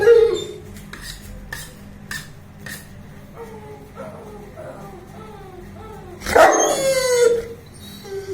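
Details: Bruno, a 21-month-old Saint Bernard, making noise while playing, recorded 19 September 2019: soft clicks and rising whine-like tones, then one loud, harsh bark burst near the end.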